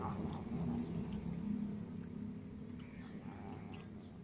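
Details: Ginger cat, recently clawed by a new white cat, eating while lying down: a low, drawn-out harmonic moan lasting about two seconds, easing off afterward, with faint clicks and indoor noise behind.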